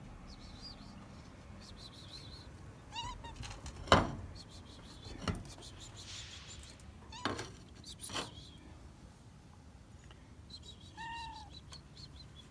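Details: Stray cat on a roof calling for food with a couple of short meows, one near the start and one near the end, among loud clattering knocks and bumps.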